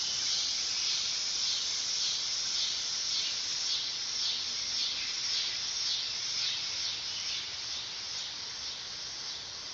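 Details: Dog-day cicada (Neotibicen canicularis) song: a strident high whirring buzz with regular pulsing waves, easing somewhat in volume near the close.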